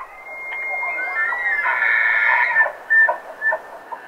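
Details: A bull elk bugles during the rut in Rocky Mountain National Park: a long, high, thin whistle that breaks into a harsh roar and grunts.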